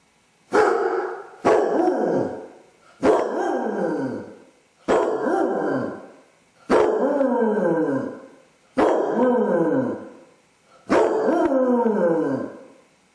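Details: Basset hound left alone at home with separation anxiety, caught on a home camera howling and whining. Seven loud, drawn-out baying howls, each about a second long with falling harmonics, come at irregular intervals of roughly two seconds.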